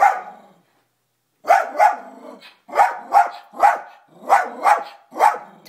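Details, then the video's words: A dog named Toby barks at his own image on the TV. A fading bark, a second of silence, then repeated doubled woofs, rough and mid-pitched, in an even rhythm. "Toby Barks at Himself"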